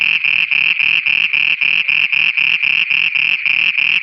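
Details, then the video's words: Frogs singing at night in Pakistan: rapid pulsed croaks, roughly four per second, evenly spaced over a constant bright high-pitched drone, with a faint lower rumble in each pulse. "Frogs singing at night"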